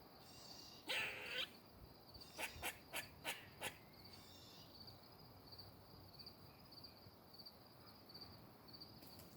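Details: A squirrel moving in a tree gives a harsh burst followed by a quick run of sharp, dry chips over steady insect buzzing.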